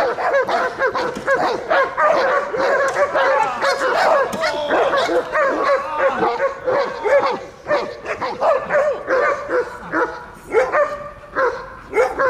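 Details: Protection training of a German Shepherd in Odesa's Dyukovsky Park, 9 July 2022: after the attack command the dog barks fast and hard in dense, uneven bursts, easing toward the end.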